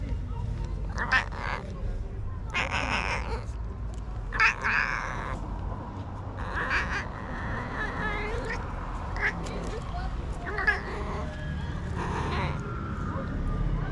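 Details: Male tabby stray cat making strange noises while being touched; several short harmonic mewing bursts spaced a second or two apart, mixed with human speech and a steady low background hum.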